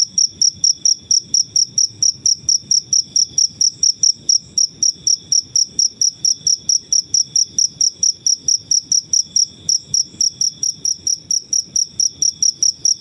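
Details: Crickets from the wild chirping without pause: a high, ringing pulse repeated evenly about three times a second, each pulse short and bright, over a faint low rumble.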